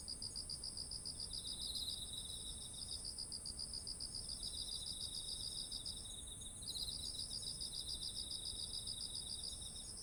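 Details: Autumn insects chirping beside ripe, heavy rice ears, recorded with a ZOOM H1essential: rapid pulsed trills in overlapping high bands, a steady continuous high buzz above, several callers alternating with brief gaps.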